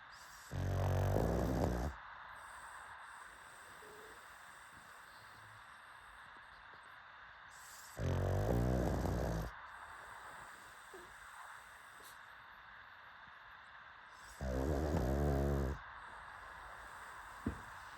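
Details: Pugs snoring in a steady rhythm. Three deep, rasping snores come roughly every seven seconds, each lasting about a second and a half, over a faint constant hum.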